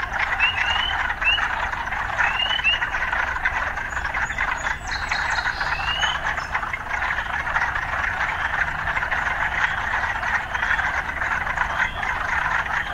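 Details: Urban frog chorus: an unbroken buzzy wall of calls with a few quick rising chirps near the start, a brief higher rattle in the middle, and a low urban hum beneath.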